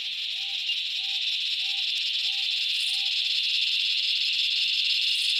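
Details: Cicadas calling in the Australian bush in summer: a loud, unbroken high-pitched droning buzz fills the whole clip, with a soft, short, slurred bird note repeated about every half second in the background.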